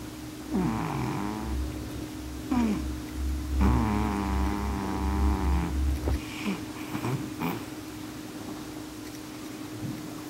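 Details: A male domestic cat asleep on the couch at night snores loudly. Deep, rumbling low throbs mix with rasping, buzzy breaths that swell and fade every second or two, and a steady hum runs underneath.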